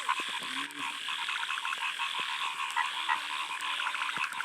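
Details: Frogs croaking in the first rain at a small lake in a field, a thick chorus of rapid pulsed calls with clear repeated ticking croak trains standing out, plus a few low twanging notes.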